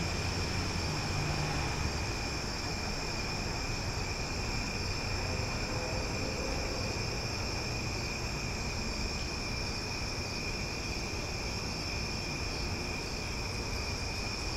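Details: Night cicada chorus in Omaha, loud yet soothing: a continuous buzzing whine held at a few high pitches without any break, set against a constant low hum like distant traffic.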